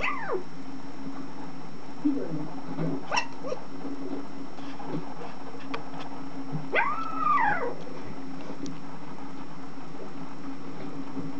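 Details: A puppy whimpers while dreaming in its sleep, making thin, arching whines that climb and then slide back down, a few seconds apart, over a constant low electrical hum.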